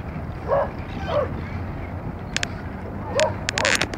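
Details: Luna, a female blue Great Dane, paddling and swimming at Currumbin on the Gold Coast, Australia, gives short high whining yelps, roughly four across a few seconds, with sharp splashy clicks in the background.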